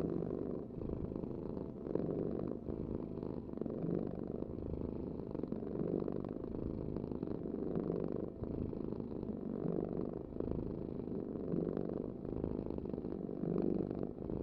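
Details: Long, even purring from a cat: a low buzzing rumble that holds steady for the whole stretch, with gentle breath-paced pulses and no other sounds.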